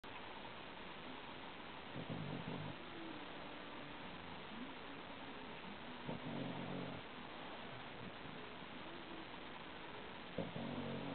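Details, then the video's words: Archie, a sleeping Shar-Pei puppy, snores in low, rough breaths, the louder snorts returning every four seconds or so over a steady hiss of background noise. "awesome shar-pei puppy snoring"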